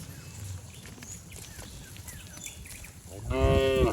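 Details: A herd of cattle running and jumping down a green village hillside; after a few seconds of low rumbling and faint background noise, one strong moo breaks out at the end.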